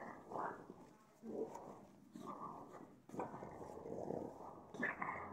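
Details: Pug just out of the shower giving hoarse, wheezy snorts and grunts in irregular bursts about every second, with a brief quieter gap near the middle.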